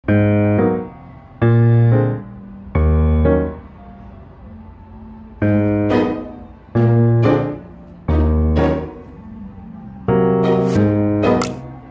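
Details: Electric piano music plays alone, with bouncy chords struck in short groups about every one to two seconds and sustained tones fading between them.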